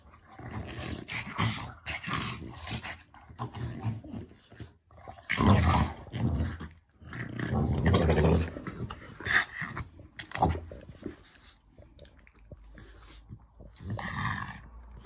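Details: French Bulldog growling during affectionate play: deep, rough, rumbling growls in several long bouts of a second or more, separated by brief quiet gaps, rising to loud snarling surges midway before tapering off.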